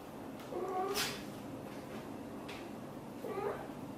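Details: British Shorthair mother cat, blue golden, calling to her kittens indoors: two faint, low, brief meows about two and a half seconds apart, with a sharp rustle or click between them.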